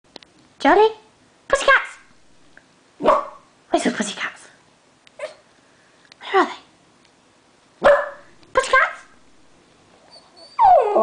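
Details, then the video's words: A pet dog reacting indoors whenever someone says the word 'pussycat', giving short harsh barks and yelps in separate bursts, about seven over eleven seconds, with a rising whine at the end and faint background music. "Charlie's reaction to 'pussycats'"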